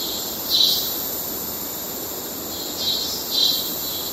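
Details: Courtship calls of male cicadas, Kerala: an unbroken high-pitched whine underlies three louder raspy pulses, the first early, then two close together near the end.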